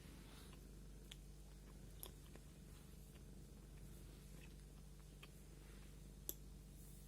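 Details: Domestic cat purring while being combed, a low continuous rumble under scattered sharp clicks and soft scraping from the comb, recorded indoors in a small room.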